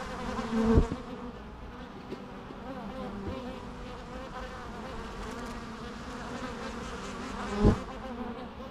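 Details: Natural bee sounds: a steady low droning hum of bees throughout, with two brief louder swells near the start and end as a bee passes close.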